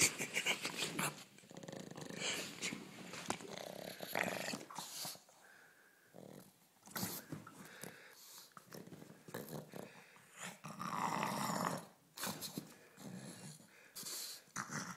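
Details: Pet pug named Ulisse, playing around, growls in rough, broken bursts with snorting breaths and gaps of quiet, plus thumps and scuffling of play.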